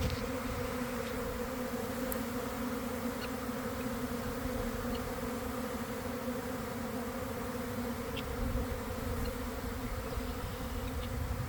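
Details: Honey bee swarm developing in a garden beside the hives around one in the afternoon, after a week of cold, damp weather, recorded from inside the swarm: a dense, steady, low droning hum with a strong even tone and faint overtones throughout.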